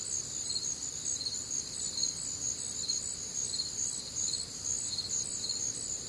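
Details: Nighttime crickets in the American Midwest on a humid, warm summer evening: rhythmic high-pitched chirping pulses roughly two per second, layered voices blending into one steady ringing chorus.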